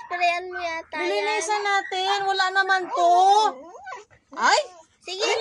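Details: Siberian Husky arguing indoors: a run of loud, wavering, voice-like yowls and woo sounds in short bursts, pitch sliding up and down, with brief pauses and a final rising whine.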